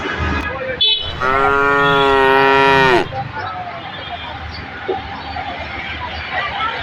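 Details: Cattle at a large cattle and goat market on Dhania College field, Akhra, on 8 June 2024. One loud, long, richly harmonic moo lasts nearly two seconds and falls slightly at the end, followed by a steady murmur of market background noise.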